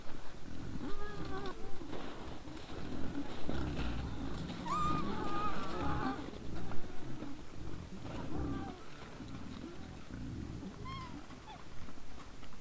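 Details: Trail-camera capture of a group of wild boars at 20:17 on 17 December 2022, grunting steadily with low rumbles, broken by brief bending squeals at about five, nine and eleven seconds.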